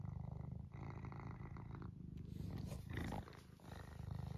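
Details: Pet cat Eric purring during a close moment of affection; dense low rumble with rapid pulsing, a brief break and rustle midway before the steady purr resumes.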